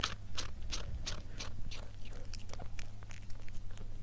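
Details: A cat chewing food, a run of crisp crunches roughly every third of a second at first, then softer, scattered munching clicks over a low constant hum.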